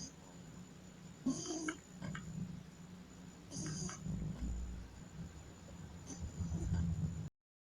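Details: Sleeping pug snoring with two harsh, raspy snorting breaths a few seconds apart, then a deeper grunting rumble, above a steady low hum and a thin high-pitched whine; the sound cuts off just before the end.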